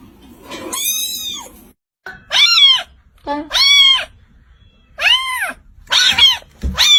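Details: Young cats give loud, insistent meows, roughly five or six rising-then-falling cries spaced about a second apart, each strongly harmonic and piercing, with a soft rustle near the end.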